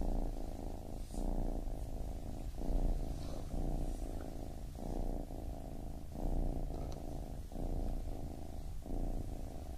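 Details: Low purring of a baby kitten, rising and falling in swells roughly every one and a half seconds as it breathes in and out, otherwise quiet.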